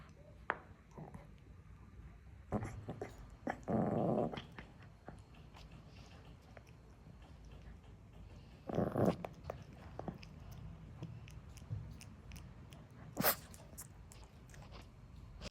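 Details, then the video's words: Spitz dog indoors making strange sounds: two broad rough growling or grumbling bursts about five seconds apart, each roughly a second long, among scattered clicks and faint room noise, with one sharp tap later. "Spitz makes strange sounds!"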